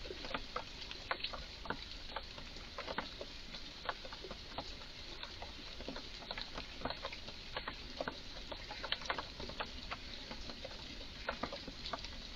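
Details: Strange calls from a garden Eurasian red squirrel in a state of excitement: a long, steady series of dry, sharp clicks, often two or three close together, continuing at an uneven rhythm throughout.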